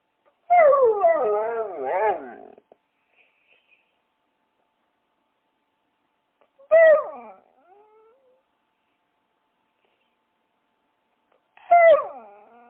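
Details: Dog: a loud, wavering whine lasting about two seconds and rising and falling in pitch. Two sharp, descending yelps follow several seconds apart, with silence in between.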